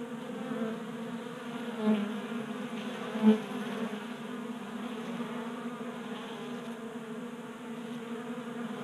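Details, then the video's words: Honey bees burning winter fat stores during late heat in Colorado in January, feeding at a 3D printed feeder in a garage; constant buzzing hum with two louder bursts as a bee passes close. "45 Minutes of Honey Bees Feasting from 3D Printed Bee Feeder"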